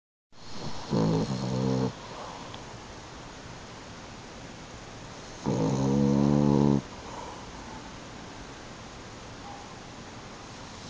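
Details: A French Bulldog napping on a couch snores in two long, rattling, low-pitched breaths separated by quiet pauses.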